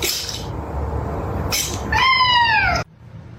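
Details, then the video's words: A domestic cat gives one drawn-out meow, falling slightly in pitch and lasting nearly a second, after two short bursts of broadband noise; indoor room sound in the background. "kitten meowing"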